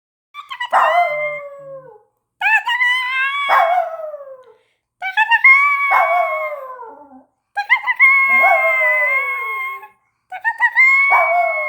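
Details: Miniature poodle howling in response to a loud noise made by a girl: five drawn-out, high, tonal howls, each sliding downward over about two seconds, separated by short silent gaps.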